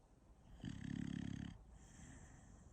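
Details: Sleeping dog snoring: one long, loud, rasping inhaled snore of about a second, low and pulsing, followed by a quieter breath in a still room.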